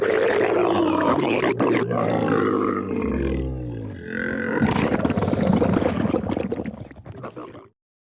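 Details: Camel producing a long, continuous, harsh gurgling roar, throaty and rumbling with a brief deeper groan in the middle, fading out near the end.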